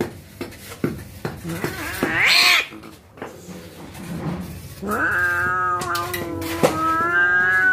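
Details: Cats about to fight, giving a rising wail that swoops up sharply, then a long, drawn-out, steady yowl with a slight waver, mixed with scattered knocks and clicks.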